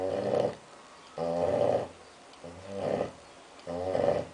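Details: A six-month-old female Labrador Retriever snoring during a nap after lunch: four rhythmic, droning snores about every 1.2 seconds, each a rough, harmonic-rich rumble swelling and fading, indoors.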